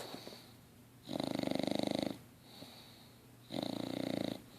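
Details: Six-month-old English Bulldog named LuLu snoring while asleep: two long rattling snores, each about a second, with a buzzy vibrating texture, separated by quiet breathing.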